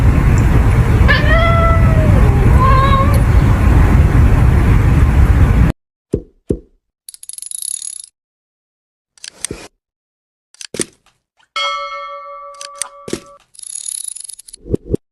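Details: Orange cat screaming each time its owner sneezes: two drawn-out, wavering wails rise and fall near one and three seconds over steady hiss, followed by abrupt clicks, pops and steady electronic tones.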